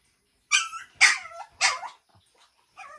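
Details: Shih Tzu x Pomeranian dog barking while meeting another dog: three sharp, high yappy barks about half a second apart, followed by a brief quieter whine.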